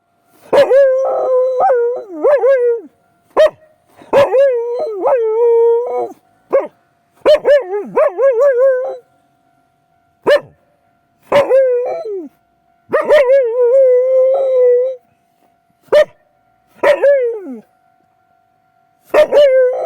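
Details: Akita named Mari howling intensely at night in reaction to a railway crossing's sound: long wavering mid-pitched howls, some rising then falling, broken by sharp short barks, with a faint steady tone behind.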